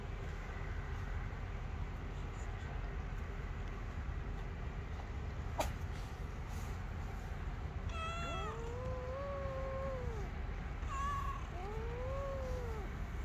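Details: Playful kitten on a lap, quiet at first, then several drawn-out arching meows in the second half over a constant low rumbling hum.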